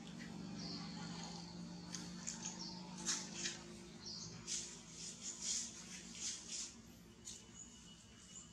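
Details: Young monkey Jody, a baby needing much milk to grow, repeatedly uttering thin high squeals roughly once a second, some clustered in quick pairs, against a constant low background drone.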